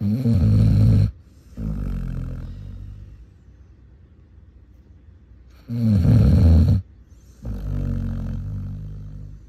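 A Basset Hound snores loudly in deep, rumbling bursts with quieter rasping breaths between.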